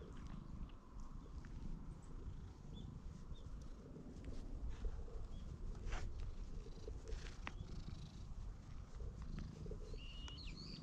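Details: Stray cat following a person while wary of its surroundings, filmed on a GoPro HERO8; steady low rumbling purr fills the clip, with faint high chirps of small birds in the background.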